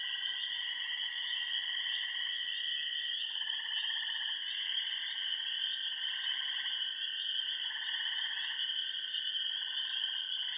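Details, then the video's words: Remote pond frogs in Upper Michigan's Yellow Dog Plains: steady high-pitched ringing chorus with repeated pulsed trills roughly one second long, alternating between callers every couple of seconds. "Frog Songs of the Bentley Ponds"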